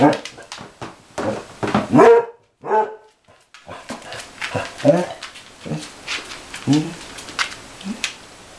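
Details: Mamie, a dog of about six or seven years, once kept outside and now learning to be an inside dog, gives short harmonic barks and whines in a small room, mixed with a person talking and calling to her.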